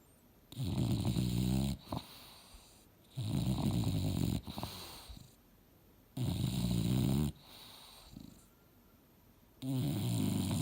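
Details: Mildred, an English Bulldog, asleep and dreaming on a couch indoors, snoring loudly: four deep, rasping, rumbling snores about three seconds apart, each lasting over a second, with quiet breathing between them.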